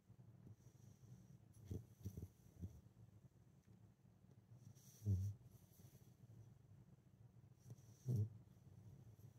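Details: Sleeping female Husky puppy snoring softly: faint low rumbles, with two louder short snorting snores about three seconds apart near the end, over a quiet indoor background.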